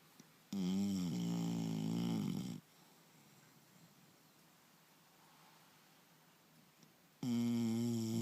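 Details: Snoring from Turbo, a sleeping English Bulldog: a two-second rasping snore with a sliding, gurgling end, a pause of about four and a half seconds of quiet indoor air, then the next loud snore starts.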